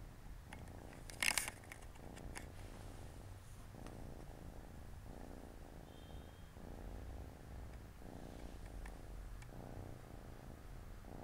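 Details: Siamese cats at home, four kittens relaxing and playing beside their mother on a Saturday afternoon; a soft, steady purr pulses in regular low throbs, with a brief bright rustle near the start.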